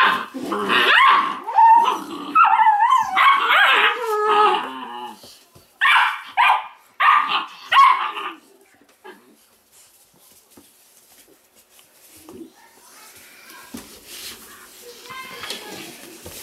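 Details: Weimaraner puppies, a litter from Indigo and Magnum indoors, give bursts of high, wavering yips and whines for about eight seconds, then fade to faint whimpers and soft rustling.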